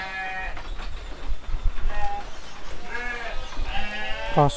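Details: Seven-month-old rams penned at a sheep farm in Sidomulyo village, Kediri, Indonesia, giving several short, nasal, harmonic bleats in quick succession over a low rumbling background.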